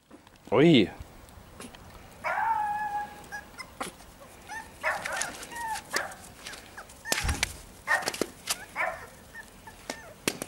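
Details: Small white Maltese dog out in snow for the first time, giving a sharp high yelp and a drawn-out whining bark, with further short yips, crunching and a person calling it over in German.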